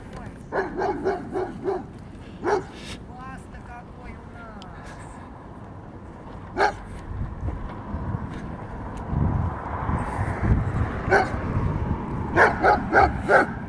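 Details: Giant Schnauzer puppy attacking a metal moose: a quick run of short yappy barks at the start, then scattered barks and a few sharp yips over a low rumbling background.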